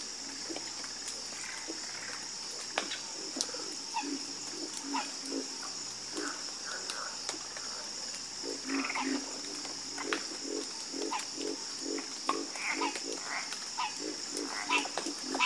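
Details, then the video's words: Harmonious frog chorus of low, throbbing croaks in irregular runs, some higher calls mixed in, set against a constant thin high hum. "Sleep Like A Baby With The Calming Sound Of Harmonious Frog Croaking"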